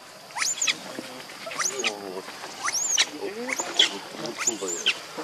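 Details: Baby monkey named Leo, hungry and begging its mother for milk, gives shrill, high, arching cries about once a second, each rising then falling, with lower buzzy murmuring sounds between them.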